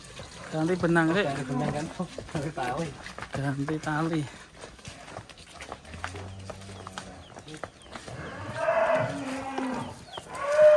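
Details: Giant fat cow named Idola Farel, said to be nearly as big as an Outlander car, gives a short, low, steady moo of about a second, with men talking loudly before and after.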